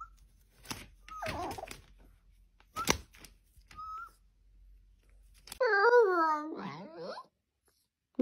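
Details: Talking Siberian Husky indoors: soft clicks and brief high chirps give way to a drawn-out, wavering, whine-like vocal lasting over a second, its pitch bending up and down, then a second shorter warble.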